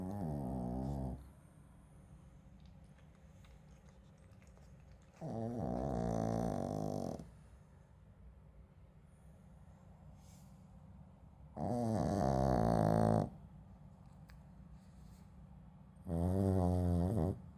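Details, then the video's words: Shih Tzu dog sleeping and snoring heavily: rasping, throaty snores about one to two seconds long, repeated roughly every five seconds, with quiet room tone between. "シーズー犬 元気のいびき"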